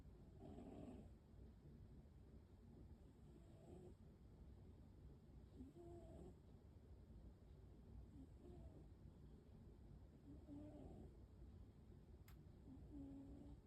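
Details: Waffle, a pet American Shorthair cat, snoring softly indoors: quiet, low, breathy rasps rising and falling in a slow rhythm about every two and a half seconds, with faint higher wheezy overtones on some breaths.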